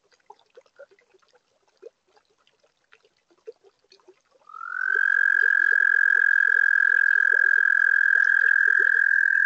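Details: At a pond built in spring 2022, a webcam catches a toad breaking into song on a warm spring night: scattered soft clicks and peeps, then at about four and a half seconds a sharply rising onset into a loud, even, sustained high trill running to the end.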